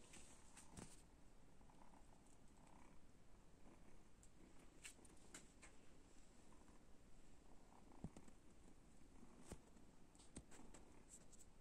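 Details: Kittens resting and taking a break from play, purring as a soft, continuous low rumble that stays steady throughout, with a few faint clicks and rustles scattered on top.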